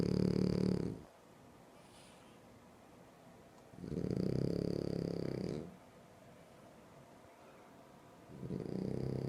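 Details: Sleeping French Bulldog snoring in a quiet room, three deep rumbling snores spaced roughly four seconds apart, each a coarse vibrating rattle of one to two seconds, with soft silence between.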